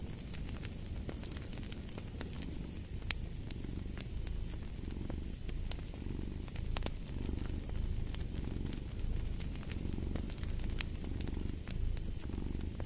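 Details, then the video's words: A cat purring steadily and low, its rumble swelling and fading with each breath about once a second, while a fireplace crackles and pops throughout. "Fall asleep to the Purring of a Cat & Fireplace"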